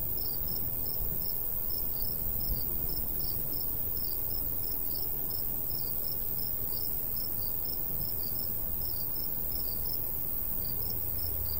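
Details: Crickets singing in countryside summertime near a golden wheat field; bright, high-pitched chirps come in quick, slightly uneven pairs and runs over a constant low hush of light breeze.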